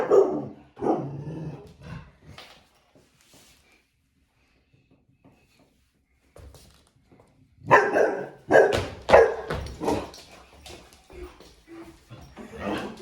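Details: Bernese Mountain Dog giving a burst of barks at the start, then a long quiet pause, followed by a rapid run of loud, closely spaced barks toward the end.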